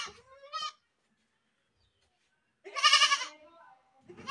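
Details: Goat screaming, two loud harmonic bleats: a short wavering one at the start, then a harsher, stronger one after a pause of about two seconds, with the start of a third at the end.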